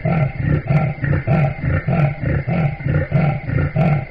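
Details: Deep, engine-like rumble from a leopard: steady low throbbing pulses, roughly one every half to two-thirds of a second, each a short rasping burst, continuing evenly with no competing sounds.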